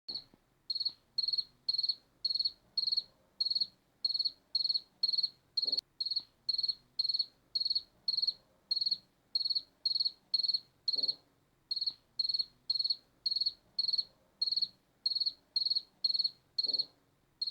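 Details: Cricket chirping steadily: short high-pitched pulsed chirps repeated roughly twice per second, each a quick trill of rapid pulses, with brief gaps now and then; faint low background rumble and a few soft thuds.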